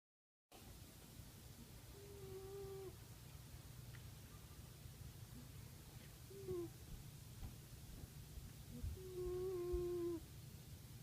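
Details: Lani, a pet cat, snoozing on her perch in the sun and snoring: a steady low rumble runs throughout, with a few short squeaky whistled tones near two, six and ten seconds in a quiet indoor room.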